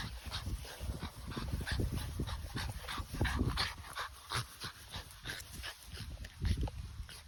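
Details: Excited French Bulldog at play, producing rapid snorting grunts and panting breaths in quick bursts, with clicking paw or toy noises mixed in.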